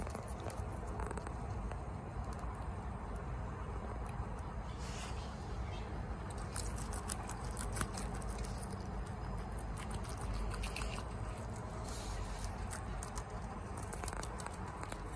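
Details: A female guinea pig eating bok choy quickly, with soft, rapid crunches and wet snaps over a low steady hum.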